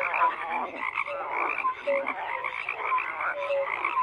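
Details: Many frogs croak at once, raspy pulsing calls blending into a constant chorus while short, bright tonal peeps recur several times a second at different pitches.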